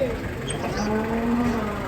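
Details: A low, sustained moo from agitated masked cattle coming down off a truck. The pitch wavers and dips through the call, and a brief high squeak and some noise sound in the background.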